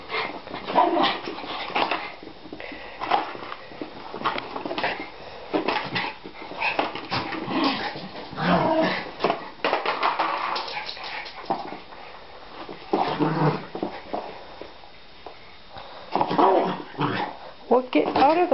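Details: Two pet Schipperkes, Nikki and Justice, romping indoors while playing soccer with a plastic bottle; scattered short growls, yips and whimpers amid scuffling and clattering, with a person talking now and then.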